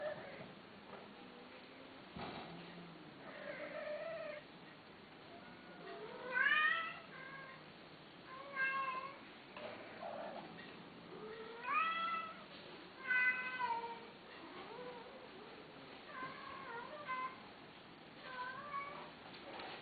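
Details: Male cats kept for sale meowing repeatedly: a series of short wavering meows, some rising then falling, spaced every one to two seconds, with several louder overlapping calls midway over a constant background hiss.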